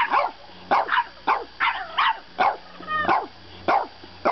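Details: Bedtime argument from a French bulldog puppy: clipped yips and grumbling barks repeat at an uneven pace, broken midway by a thin, steady whine before the yapping resumes.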